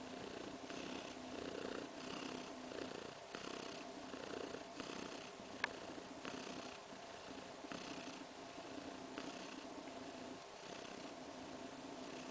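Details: Kaewe, a contented pregnant cat roughly three weeks along, kneads with her paws and purrs while sleeping. The purr is a regular, rumbling rhythm of pulses about a second apart, with one faint click midway.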